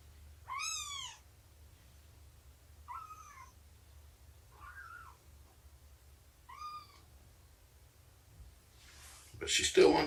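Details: Indoor cats during nursing and play on 24 September 2017 with Shelby, a mother cat about two years old, and her three-month-old litter; four separate high meows, arching then falling, a couple of seconds apart, ending in a loud rustle.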